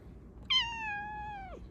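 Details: A Bengal cat lets out one loud, clear meow at about 4am, lasting about a second, holding a steady pitch that slides downward as it fades. This is the meow it uses every morning to wake its owners.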